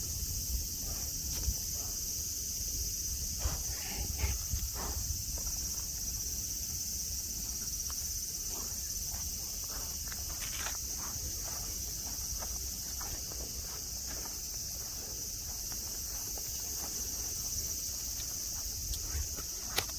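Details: In Nara Park, Japan, on green grassland with deer nearby, cicadas keep up a continuous shrill buzzing hum, overlaid by irregular dry clicks and rustles like footsteps passing on grass.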